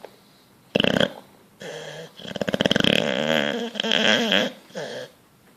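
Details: Bulldog fast asleep, dreaming and twitching, gives loud rattling snores and snorts in bursts, harsh buzzy breaths with ringing overtones, several separate bouts with short pauses between them, in a quiet small room.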